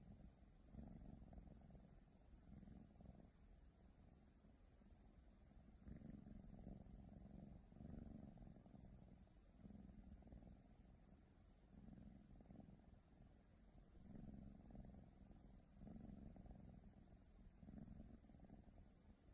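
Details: Female Ragdoll kitten, born January 2019, purring steadily: low rumbling pulses in long rhythmic swells, each breath cycle lasting about two seconds, loudening and fading in turn with no other sounds.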